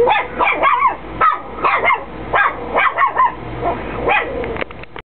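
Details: Chihuahua indoors barking at no one; close, loud yappy barks about once per second with some rising whiny tones between, low hum behind, ending abruptly.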